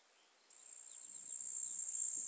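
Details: Eastern green bush-cricket (Tettigonia caudata) singing at Marz, Austria, on 18 July 2022: a quiet high buzz, then a sudden loud, continuous high-pitched trill that swells steadily in strength through the rest of the clip.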